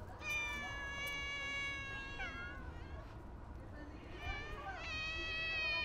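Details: Street cats at feeding time give two long, drawn-out meows, the first sliding down at its end and the second rising sharply, with faint voices and outdoor noise underneath.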